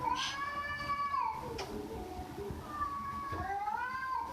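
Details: A cat gives two drawn-out meows, the first long and level before dropping, the second rising then falling, against a low indoor background hum.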